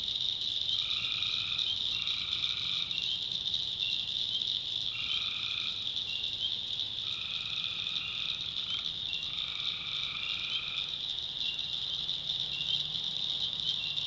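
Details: Night swamp in the North Carolina backwoods with tree frogs: short buzzy notes in quick bursts, several close together then a pause, set against an unbroken high-pitched insect and frog chorus and a faint low hum.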